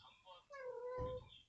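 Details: Grieving stray mother cat that lost her kittens in a downpour four or five days earlier, calling as she searches; a single long level meow that tails off, over low room rumble and a soft knock.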